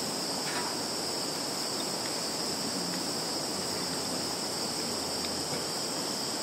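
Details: Insects calling in a field in Zhukovsky district, Kaluga region, Russia, recorded 11 September 2019 on a Samsung Galaxy phone: a dense, unbroken high shrill drone with two steady bands, one very high and one slightly lower, over faint background hiss.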